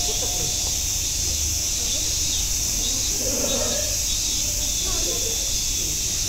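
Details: At Nogeyama Zoo, cicadas keep up a steady high-pitched hissing drone with no breaks, while a few scattered human voices murmur faintly underneath.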